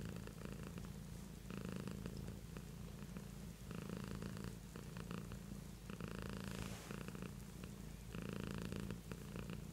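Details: Continuous low purring from a pet cat indoors, rhythmic rumbling rising and falling with each breath, stronger pulses recurring about every two seconds across the whole stretch.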